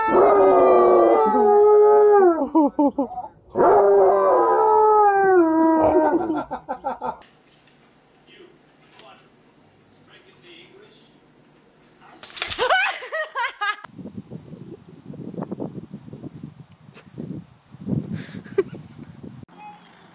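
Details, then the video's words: Dog crying along with a baby: long loud wavering howls sliding down in pitch in two bursts over the first seven seconds, then a short high cry and softer murmuring voices and rustling. "Dog & Baby Cry Together"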